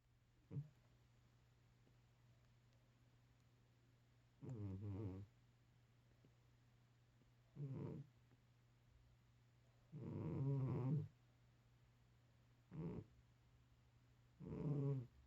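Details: A sleeping 13-year-old cat snoring softly: low, rough, throaty breaths come in irregular bursts, some brief and some lasting about a second, separated by quiet stretches with a faint steady hum underneath.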